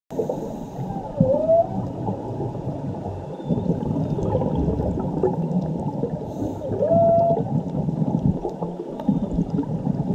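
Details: Underwater whale song with rising, swooping tonal moans over a deep rumbling background, said to come from a mother whale and her calf, recorded while diving in Mexico around Cabo Pulmo and La Paz.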